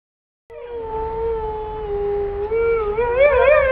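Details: Pet Siberian Husky giving a long steady howl that starts after a short silence, holding one level tone before wavering and rising near the end, with a faint low rumble underneath.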